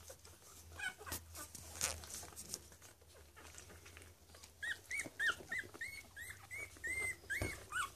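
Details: Cavalier King Charles Spaniel puppies, one week old, a litter indoors: first half mostly faint rustling and handling noise, then from about five seconds a run of high, thin, rising-and-falling squeaks and whines in quick succession.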